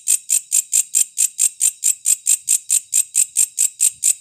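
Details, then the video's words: A katydid (walang kecek), used as training audio for songbirds, gives dry, high-pitched rasping chirps repeated steadily about four times a second, with no other sounds. "WALANG KECEK 3 VARIASI"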